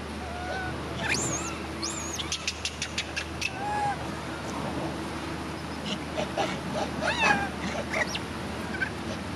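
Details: Crying from an injured baby monkey among badly hurt monkeys: a few piercing arched squeals early on, then a rapid series of sharp clicks and softer squeaky cries, with a constant low hum throughout.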